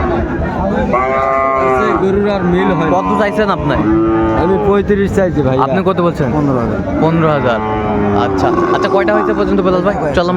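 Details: Sahiwal bull calves among market cattle in Chattogram, Bangladesh, on 17 January, lowing almost without pause: long wavering moos layered from several animals, over a constant hum of people talking.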